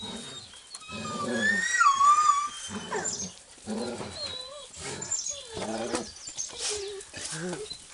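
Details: Puppies playing with a ball toy, one a female, give high, thin whimpering whines that slide downward in short repeated bursts, with a person talking over them throughout.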